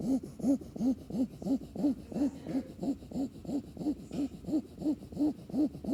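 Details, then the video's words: Sleeping puppy snoring: a steady run of short, squeaky, arch-shaped tones, roughly three per second, each rising then falling in pitch, with a soft breathy rasp beneath. "Puppy snores!"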